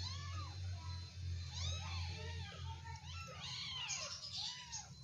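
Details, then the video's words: Play-fighting kittens pour out a quick run of overlapping arched meows, some short and some drawn out, several per second, with a strong low background hum underneath. "anak kucing lucu, gulat"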